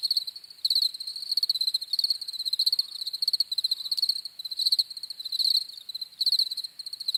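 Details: High, pulsing cricket chirps arriving in trilled bursts, with one louder insect close by standing out over a softer chorus of others.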